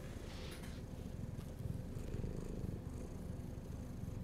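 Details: Hungry pet cat purring, a deep even rumble throughout with brief higher rustling near the start.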